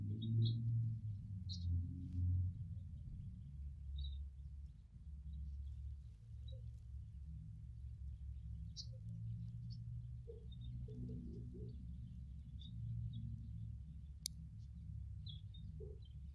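A carpenter bee's deep, steady droning buzz, with faint bird chirps in the background.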